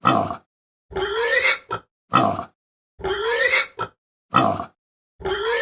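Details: Pig grunting in a sequence of separate rough, noisy grunts, some short and clipped, others longer with a rising tone, spaced with silent gaps of under a second.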